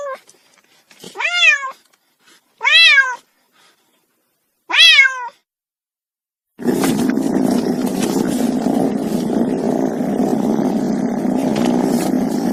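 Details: Cat giving three short rising-falling meows in the first five seconds, followed by silence and then a long stretch of loud, steady broadband noise that masks everything else.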